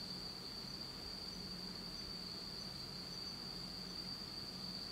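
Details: Autumn night insects in Japan, heard in total darkness: a steady, unbroken high trill holds one pitch throughout, with a soft low rumble beneath.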